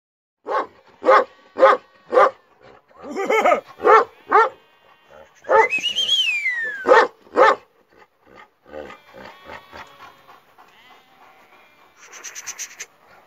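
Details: Kangal dogs described as ready for duty, giving a run of deep, evenly spaced barks about twice a second, then a rising and falling whine, more barks, and softer scattered sounds toward the end.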